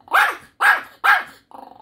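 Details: Young dog scolding its owner for withholding Korean melon, giving three loud, harsh barks in a row, then a softer short grumble.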